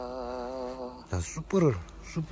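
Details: Asian honey bees visiting an apiary on 3 May 2023, coming into a hive whose Western honey bees had all died and taking food from it. A steady, slightly wavering droning hum lasts about a second, then a voice speaks over it.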